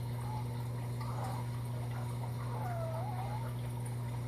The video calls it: Fennec Fox Whining Sounds